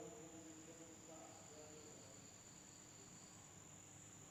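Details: Insects calling at night in an Indonesian village, a constant shrill high tone over soft scattered chirping trills, quieter toward the end, with a faint rustling background.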